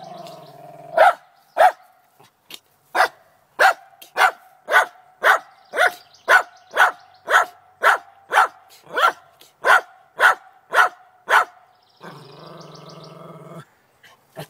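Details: Determined to get a chipmunk in a downspout, Trina the Lakeland Terrier barks on a morning; after a low growl, a fast, steady string of loud barks runs nearly two per second, ending in another low growling rumble.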